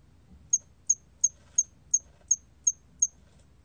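A hairy cricket sings short, high, clean chirps repeated about three times a second.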